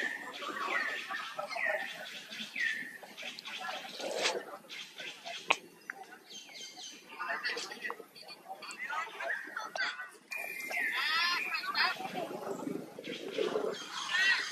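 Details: Baby monkey, hurt and pulling away from an unwanted buddy; repeated high whining cries in short bursts early on and again near the end, mixed with rustling and thumping.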